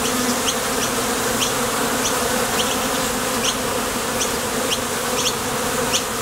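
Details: Bees come and go at the mouth of a Top Bar Hive while foraging for nectar, making a constant, thick humming drone that never pauses. Brief faint high clicks recur about twice a second in the background.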